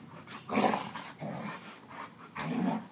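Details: Alaskan Malamute giving two loud, low, rough voiced bursts, a half-second growl-like call near the start and another near the end, with a quieter murmur between.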